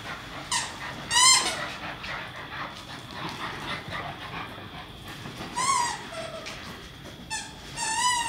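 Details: English Staffordshire Bull Terrier puppies, a pair playing together indoors; several short, high wavering whines and squeaky yelps come in separate bursts over a faint background hiss.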